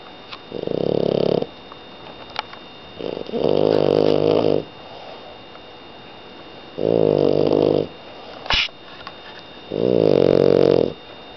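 A French bulldog snores with rough, buzzy breaths roughly every three seconds.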